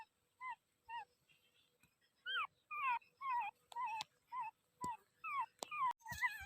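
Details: Soft dog yips and whimpers, short upward-bending cries repeated roughly twice a second, with faint clicks and taps between them.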